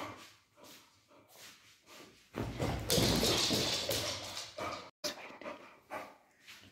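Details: Tubby the Beagle pleading with his owner for a calcium bone, giving quick repeated barks and a long loud, harsh burst in the middle, then a few sharper yaps near the end.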